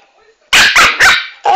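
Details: Chanel, a dwarf Pomeranian, lets out a rapid run of four loud, harsh yaps in quick succession, each short and bright, after a woman's Italian scolding.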